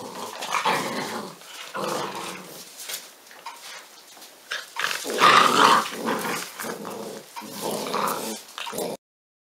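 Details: Pyrenean Mountain Dog puppies, 46 days old, at a breeding centre in Cerdanya in the Catalan Pyrenees, make rough playful growls and short yips in uneven bursts, with shuffling and knocking sounds throughout.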